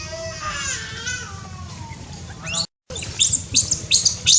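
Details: High in the trees in Cambodia, a newborn monkey gives drawn-out, wavering harmonic calls that bend and drop, followed after a brief cut by quick, sharp high chirps repeated about three times a second, all over a constant low hum.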